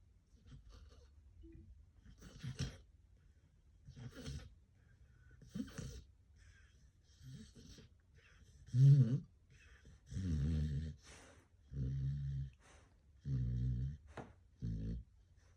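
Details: Sleeping dog snoring indoors: about nine rhythmic, raspy snores roughly every one and a half seconds, soft at first, then louder and fuller with a deep buzzing rattle in the later breaths, quiet pauses between each.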